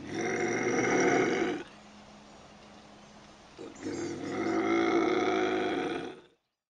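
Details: A pair of long, throaty bobcat howls used as a raccoon deterrent, each a steady harmonic wail lasting about two seconds, separated by a quieter low-level hum.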